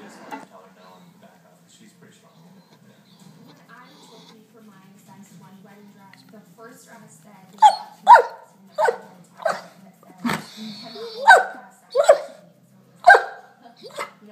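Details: Pet German Shepherd insisting it is dinner time, as it does daily at 6 pm, first quiet, then a run of about eight short, sharp bark-like yelps, some rising in pitch, roughly every half second to second, over a low household hum.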